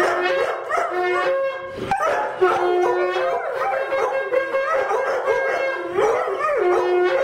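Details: Twin Airedale Terriers howl along with a sounding horn in wavering, rising and falling tones.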